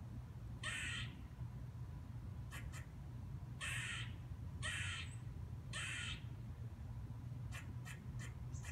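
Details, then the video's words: A squirrel, perched on a fence or tree branch, gives harsh, raspy dog-like barks. Five broad bursts come roughly once a second, followed by a few sharp clicks, over a steady low hum. "What a Squirrel Sounds Like! - Squirrel "Barking""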